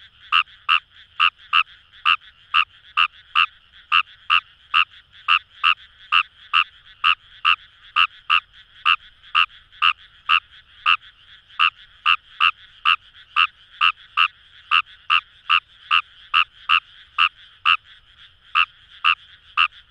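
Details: Long steady calling of Fejervarya kawamurai in Kamo River paddies, Itoshima, Fukuoka Prefecture, Japan: clipped, raspy croaks at an even pace of roughly two per second, backed by a low murmur of other frogs.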